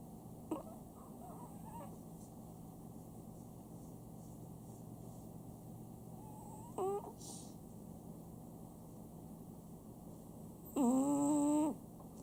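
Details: Sam, a pet Chihuahua, snoring at home. Whistly, tonal snores come with each breath, several seconds apart: a short one near the start, a brief one midway and a longer, steadier one at the end, over a low steady hum.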